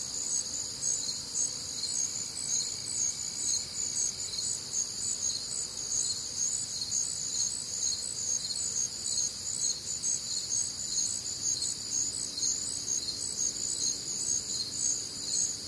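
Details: Crickets with other nocturnal sounds on a warm, humid Midwestern summer night: dense high pulsing chorus in several stacked bands, about two pulses a second, steady throughout, with a faint low hum beneath.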